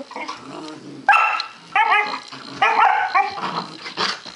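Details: Two puppies, a two-month-old Dalmatian and a five-month-old German Shorthaired Pointer, play fighting indoors: short harmonic yips and barks in bursts with low growly rumbles, several yelps clustered between one and four seconds.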